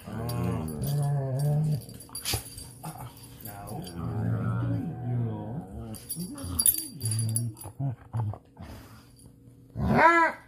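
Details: Playful dog growling, with weimaraner, Dutch shepherd and plott hound mentioned: low, sustained rumbles that rise and fall over several seconds, broken by short gaps, ending in a sharper, louder snarl.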